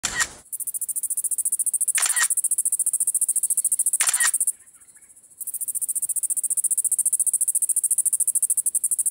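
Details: A big nose grass cicada gives a shrill, very high, steady buzz made of rapid pulses, broken by brief noisy clicks and one short pause before the buzz resumes.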